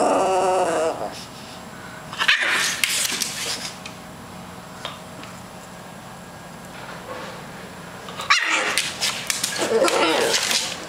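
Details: French Bulldog Ruby, sitting in a chair and acting silly, gives drawn-out grumbling, whiny vocal sounds at the start and again near the end, with quieter room sounds between them.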